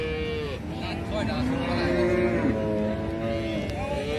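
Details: A cow lows in a drawn-out, wavering moo with a steady tone running through several seconds, over a constant low rumble of background noise and faint engine-like hum.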